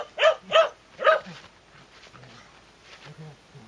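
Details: Shetland Sheepdog called Sora giving three quick sharp barks in the first second and a half, then faint low voices and softer noises trailing off.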